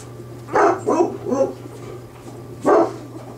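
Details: Bernese Mountain Dog pups only days old, born to the mother Bear, give short yelping cries: three quick bursts in a row, a pause, then one more, all over a constant low electrical hum.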